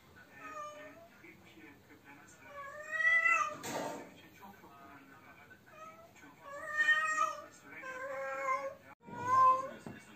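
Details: Mateless cat calling: drawn-out, bending meows in rising and falling arcs, several loud swelling yowls, broken by a short burst of noise near the middle.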